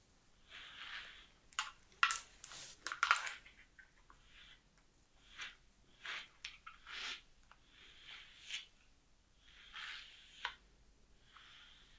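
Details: Long fingernails scratching and tapping in short bursts in a small indoor room, with no animal voice heard.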